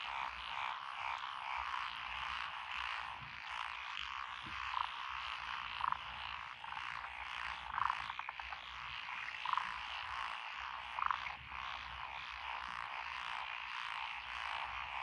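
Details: Frog chorus from lotus rice paddies beside a country road in Echizen, Fukui Prefecture, Japan, 12 June 2021, with tree frogs and pond frogs among the callers. A dense, steady croaking bed has louder single notes standing out every one to two seconds.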